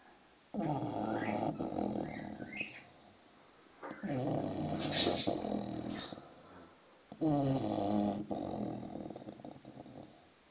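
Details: Six-month-old English bulldog puppy asleep: three long, rasping, growly snores about three seconds apart, separated by quiet pauses, while noisy birds chirp high above.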